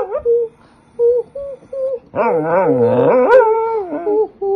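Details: Pet dog singing along with a woman: short high whining yips and wavering howls, then a long sliding howl overlapping her lower, wavering singing voice, ending in more brief whines.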